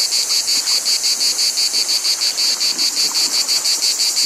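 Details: Cicada chorus: a piercing, sizzling whine with a rapid, even pulse near three per second, continuous from start to end.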